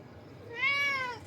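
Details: Domestic cat giving a single drawn-out meow, rising then gently falling, clear and tonal with rich harmonics, lasting under a second in a quiet indoor room.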